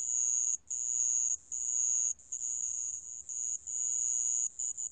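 A sand ground cricket gives a high, shrill, unbroken trill in long bursts separated by brief pauses.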